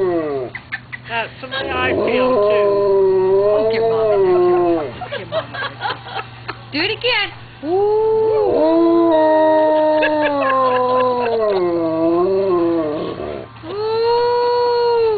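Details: A dog howling in long, wavering tonal glides that rise and fall, coming in several bouts separated by short pauses, with people talking and laughing between and over the howls.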